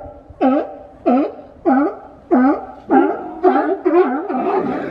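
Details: Many sea lions crowded on a boat dock by the Coast Guard pier in Monterey at sunrise; hoarse honking barks repeated roughly every half second, later overlapping as several animals call together.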